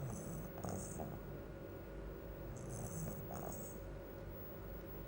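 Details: A sleeping bulldog snores with a low, rattling rumble that carries steadily through the clip without clear breath gaps. A faint steady hum and brief high chirping bursts sit above it.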